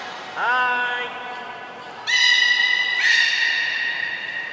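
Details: Beluga in the morning pool at Nagoya Port Aquarium, 26 January 2020: a falling nasal squeal followed by two loud, high, sustained tonal whistles with rich overtones, echoing in a large hall.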